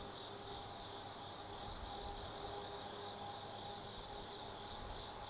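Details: Night chorus of autumn insects from the forest lookout of Tsukimi no Mori in Kaizu, Gifu, Japan: a constant shrill trilling tone, unbroken, over a low rumble of distant traffic or a train.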